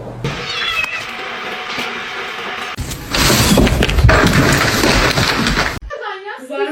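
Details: Domestic cat meowing: a short harmonic meow near the end, after several seconds of loud broadband noise and human speech.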